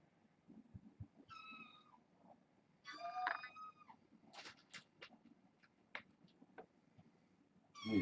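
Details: Kittens at bedtime, part of a litter of six born August 29th, giving clear harmonic meows indoors: a short mew, then a longer louder wavering cry, another mew at the end, with light thumps and rustles between.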